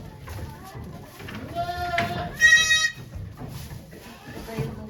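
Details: Goat named Okayu at Yoshigake farm, Japan, on 3 May 2023 during birth of two kids, with volunteers watching; a long harmonic bleat rising to a loud wavering peak near the middle, overlapped by people talking.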